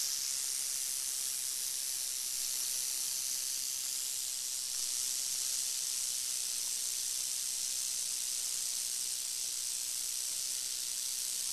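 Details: Crotalus oreganus, the northern Pacific rattlesnake, giving a steady, unbroken high-pitched hiss that holds an even loudness for the whole stretch, with no pauses and no other clear sounds.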